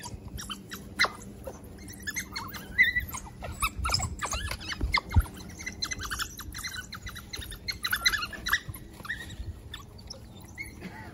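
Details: At Monarto Zoo, a pack of African painted dogs gives rapid, high-pitched squeaky chirps and twitters, densely repeated across the whole stretch, with low background rumble beneath.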